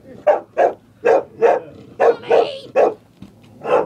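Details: A scared female dog barks at a chair indoors: eight sharp, mid-pitched barks in quick, uneven succession, each a short bright burst, with brief quiet gaps between them.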